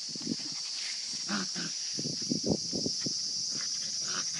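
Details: Playing litter of 52-day-old Kishu x Shikoku puppies giving clustered brief growly yelps and grunts, uneven in rhythm, set against a loud, unbroken high-pitched insect drone.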